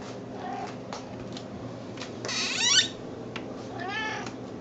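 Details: A female Snowshoe cat gives thin, baby-like meows that rise and fall, circling around and asking to be fed.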